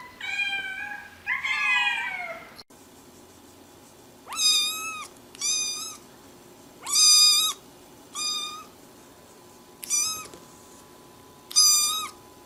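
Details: Domestic cat calling repeatedly, two long wavering meows followed by six shorter, even, high-pitched mews spaced about one to two seconds apart, with a faint steady hum behind.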